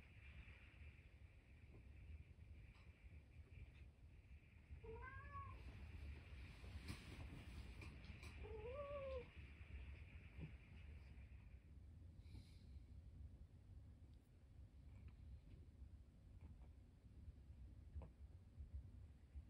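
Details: Harpo, a 13-year-old indoor cat and cancer survivor, calls while bringing his toy sea monster: two short arched meows about four seconds apart, rising then falling, over a quiet room with faint background hum.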